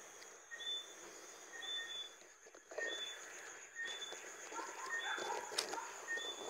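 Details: Johnstone's whistling frog (Eleutherodactylus johnstonei) repeating brief, sharp whistles at a fairly even pace, joined by scattered lower chirping notes, with a constant high insect drone and some rustling.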